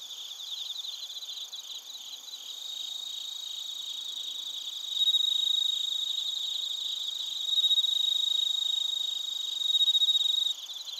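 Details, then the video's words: Crickets and bell crickets in Narita, Chiba, Japan, recorded with a TASCAM Portacapture X8; pulsed high chirps at first, then one loud, clear sustained trill rises in, pausing and returning in long bursts above the softer chorus. "スズムシとコオロギの鳴き声 - Chirping of crickets"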